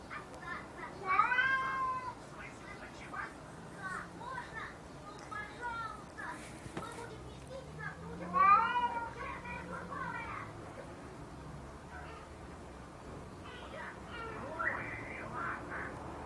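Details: Cat calling its mother with repeated rising and falling meows, several clustered near the start and middle and a drawn-out cry near the end, over low background murmur and faint speech.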